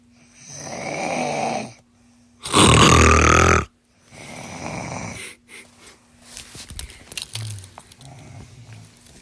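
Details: Sleeping monkey snoring in breathy, rasping bursts, one much louder and harsher burst midway, then softer uneven breaths with scattered clicks near the end, over a steady low hum.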